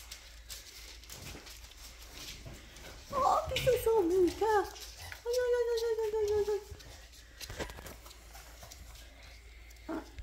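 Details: Labrador Retriever puppies during cuddling and toilet training give a wavering whine that slides downward, then a steadier drawn-out whine, with a person talking and faint indoor rustling.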